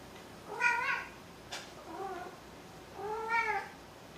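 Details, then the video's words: Maru, a pet cat, meows three times: a strong first meow, a softer lower second one after a brief click, then a longer drawn-out meow near the end, all with rich harmonic bands. "鳴くねこ３。 meow meow Maru3"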